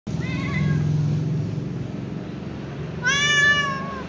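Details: Little ginger cat meowing as if talking to its mother: a softer drawn-out meow with gently curving harmonics, a pause over a low steady hum, then a louder, brighter meow falling away at the end.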